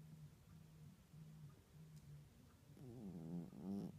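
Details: A sleeping house cat, snoring for the first time, makes gentle low rasping breaths in a steady rhythm, ending with a louder, buzzy, wavering wheeze.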